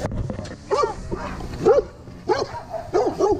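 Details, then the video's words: Pablo Pinto, an undersocialized rescue Rottweiler Catahoula Leopard Dog mix from the Redlands area of South Florida, fearful of people, at a shelter; about five deep, short barks at uneven intervals, with a person calling softly at the start. "Working With a Rescue Undersocialized Rottweiler Catahoula Leopard Dog Mix"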